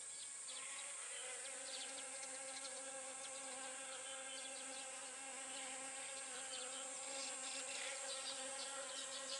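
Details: Continuous humming drone of honey bees working pumpkin blossoms during pollination, a level buzzing tone with evenly stacked overtones and scattered soft ticking sounds on top.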